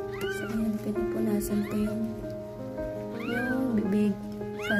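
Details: Siamese cat, a first-time mother giving birth to seven kittens, gives about four short arched meows, rising then falling, spread across the clip over steady, prominent background music.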